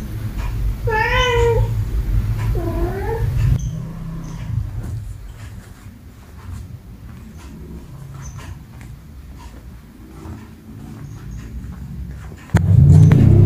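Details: Cats meowing angrily at another cat indoors: two drawn-out, wavering meows in the first few seconds, then quiet rustling and soft taps, Indonesian speech and a loud knock at the end.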